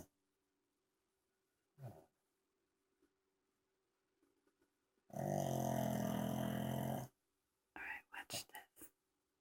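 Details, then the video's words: Gonzo the pug snoring indoors: a single long, loud, rattling snore lasting about two seconds, set between soft whispering and a few short breathy sounds. "Gonzo snoring pug"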